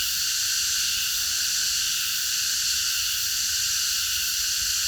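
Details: Many cicadas singing together after dark in a park: an even, sizzling high drone that never breaks, with layered shrill tones and only a faint low background hum.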